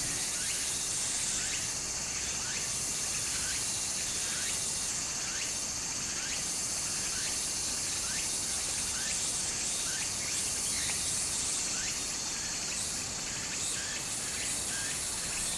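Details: Cicadas in summer next to a flowing stream in Japan. An intense, high, sizzling chorus pulses in surges every second or two, with rapid rhythmic ticking strokes below it and steady water noise throughout.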